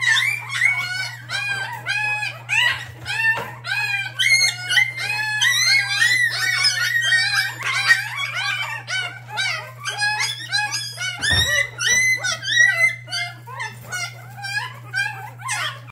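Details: A chaotic feeding scene on day seven of hand-rearing mixed-breed puppies with formula. Many overlapping squeaky whines and yelps rise and fall nearly without pause, about two a second, over a constant low hum, with one brief thump midway.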